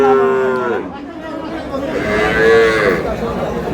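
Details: Two moos from cows with calves at Ambari market, Dinajpur, Bangladesh, 7 August 2026: a short mid-pitched call, a pause filled with crowd chatter, then a longer, louder lowing call.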